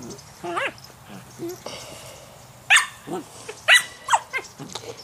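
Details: Collie puppy and a German Shepherd tussle over a squeak toy: whiny rising yelps, growls and sharp barks come in bursts, while a person's voice cheers on and music plays softly.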